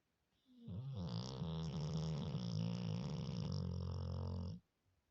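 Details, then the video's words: Loud humanlike snoring from a sleeping Labrador Retriever: one deep vibrating snore of about four seconds, rough and droning, starting and ending sharply in a quiet indoor space. "Лабрадор храпит как человек.Очень громко"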